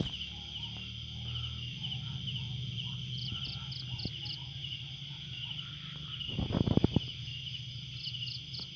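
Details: Quiet garden at night with crickets: an unbroken high-pitched drone, one run of five rapid chirps and a few more at the end, low hum beneath, and a sudden loud rustle or knock partway through.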